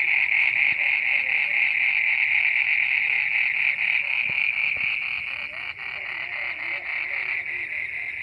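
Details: Frogs croaking at midnight: a dense, steady chorus of high, pulsed trilling, beating about four times a second without pause, with a few faint clicks underneath.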